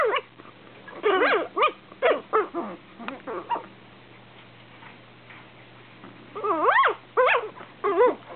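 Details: Two eight-week-old Shih Tzu littermates squabble over their owner's lap with bursts of high, wavering yips and whines that rise and fall in pitch.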